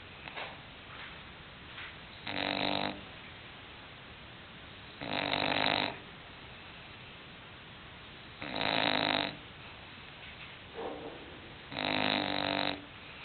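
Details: English bulldog snoring: four loud, harsh snores arriving about every three seconds, with softer, shorter snuffling breaths between them.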